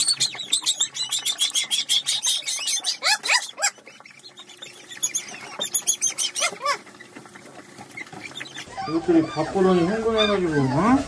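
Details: German Pointer puppies during nail trimming: a rapid run of high, arched squealing whines about twice a second. Toward the end they give way to lower, voice-like sounds.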